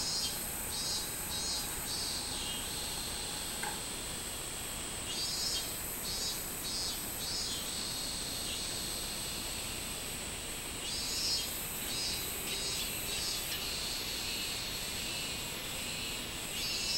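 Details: A robust cicada (min-min cicada) sings in loud, pulsing bursts over a steady high insect drone, recorded 24 July 2016.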